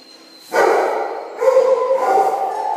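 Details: Five-week-old Belgian Malinois puppies from a litter of two males and three females born 11 September 2013, eating kibble indoors at a breeding kennel; an abrupt, loud yelping cry bursts in, then a second, steadier whining vocalisation follows.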